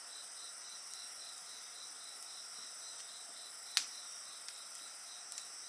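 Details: Steady high insect trilling mixes with the sounds of a campfire: several continuous shrill tones, one softly pulsing in quick rhythm, broken by a single loud crack of burning wood.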